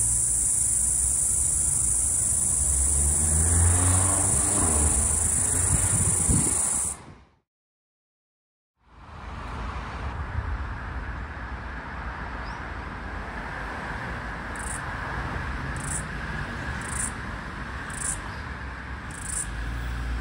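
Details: Floury baker cicada, last heard in Australia's summer of 2022/2023, near a busy street: a sustained high buzz for seven seconds, a sudden quiet, then a regular series of short buzzing pulses over steady traffic noise.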